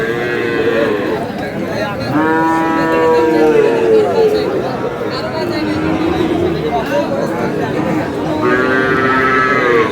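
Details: Sahiwal bull for sale at a Kurigram cattle market in Bangladesh, 5 May. Strained, wavering moos come in two long bursts, early and near the end, above a constant murmur of bargaining voices.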